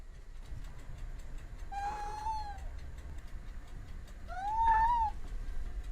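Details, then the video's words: Two thin, slightly rising meows from a cat, about two and a half seconds apart, partly masked by steady low background rumble. "Sounds of cats for relaxation / Sounds of cats for children"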